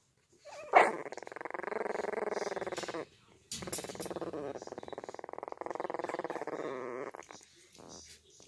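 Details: Puppies attempting to growl: a sharp yelp opens, followed by two extended rough pulsing growls with slight wavering pitch, ending in softer grumbles; quiet indoor setting.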